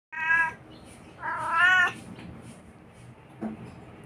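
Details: Talkative Siamese cat 'talking': two drawn-out, wavering meows, the second longer and rising then falling, followed by quiet and a brief soft sound near the end.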